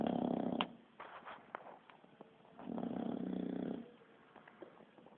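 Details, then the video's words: Sleeping Bulldog, said to snore like a human, giving rattling, buzzy snores, a short one then a longer second-long rasp, with faint ticks and breathing between. "Bull Dog roncando"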